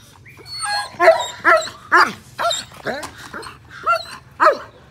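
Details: German Shepherd dog, 18 months old with a semi-long coat, opening with a short whine, then letting out sharp, irregularly spaced barks, roughly two per second.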